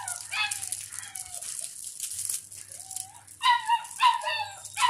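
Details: Doberman puppy in the house, eating milk and playing, gives high, thin whines with a fine harmonic edge. They start as short drawn-out cries, then quicken into louder yelping whimpers near the end over a faint low hum.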